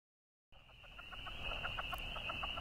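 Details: Southern leopard frog chorus in a marsh at sunset, mid-March, Alexandria, Virginia: males floating on the surface give rapid, clucking staccato calls to attract females, over a steady high trill of spring peepers.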